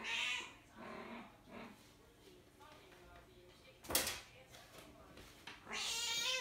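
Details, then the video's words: Mother cat calling for her kittens, which were born outdoors; a loud harmonic meow opens, softer meows follow, a sharp click sounds near the middle, and a harsh, noisy meow ends the recording. "Mommy cat calling for her kittens"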